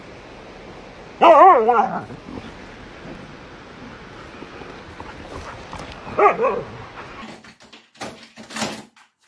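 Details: Dog giving two short wavering, whining yelps about five seconds apart, each pitch-wobbling cry lasting under a second, over a quiet hum, with a few faint clicks and knocks near the end.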